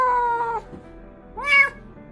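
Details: An abandoned kitten, which cries all night in and out of its cage, apparently missing its mother, gives two plaintive meows: a long, level cry, then a higher, arching wail.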